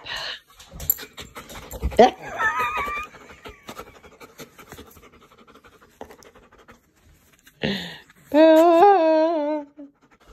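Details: An Irish Wolfhound puppy indoors vocalizes as if saying "mom I love you": a short rising whine near the start, then a drawn-out, wavering, moan-like howl of about a second and a half near the end, with panting and rustling between.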